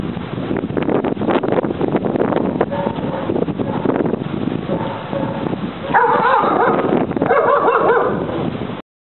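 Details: German Shepherd Ufo, a four-year-old male, assisting his handler in a criminal apprehension demonstration against a decoy at Aaron's school of dog training, Trinidad; rough, rapid, dense barking, then higher whining, yelping tones in the closing seconds.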